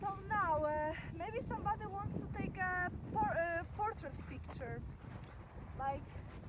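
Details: Huskies in the snow at Akureyri, Northern Iceland, excited and eager to start a sledding trip: overlapping high whining yelps and bending howl-like cries in rapid bursts, with low rumbling background noise.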